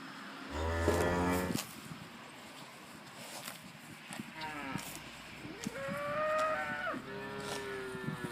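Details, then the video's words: Holstein Friesian cows mooing while munching grass: a short low moo near the start, then several higher, rising moos with bright harmonics from about four to eight seconds, over a faint background hiss. "Cow Munching Grass & Colorful Baby Moo Cows Mooing"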